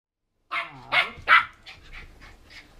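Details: Mabel, a 14-week-old Border Terrier pup, wound up indoors after eating toffee popcorn found under a bed, gives three sharp, loud barks in quick succession, trailing off into softer huffs.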